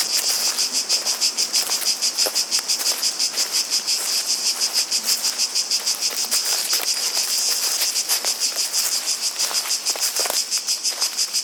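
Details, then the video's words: Cicada chorus in natural surroundings, an intense high rasping buzz pulsing rhythmically around three beats per second, very regular, with occasional faint ticks underneath. "Relaxing Sounds of Cicadas"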